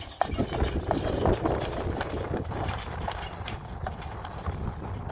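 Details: Registered Friesian sport horse being driven, its hooves giving a steady run of soft clip-clop beats, roughly three a second, over a dense rumbling background of harness and wheel noise.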